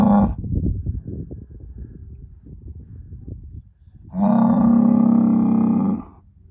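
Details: Angus herd sire bull, a son of SAV Harvestor 0338 born in spring 2018, gives a loud, steady, droning moo of nearly two seconds, preceded by a brief call cut off at the start and a stretch of quieter rumbling farm noise.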